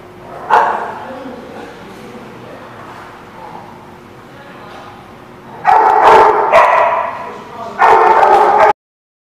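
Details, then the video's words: Dog barking, recorded on 19 June 2017: a single sharp bark, then a quiet stretch with faint voices, then a cluster of loud, rough barks followed by one more about a second later. "The Barking Lot"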